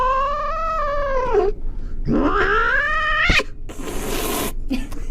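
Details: Domestic cat giving two long drawn-out meows, each with a smooth pitch bend, the second rising then falling. A sharp knock comes between them and hissy noise follows, amid a playful compilation of cat moments.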